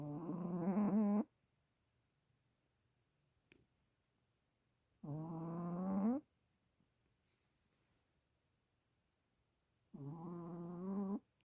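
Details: A Pomeranian puppy sleeps with its eyes open and snores hard: three loud, nasal, whistling snore bursts, each about a second long with a slight upward slide, spaced roughly five seconds apart, in a quiet room.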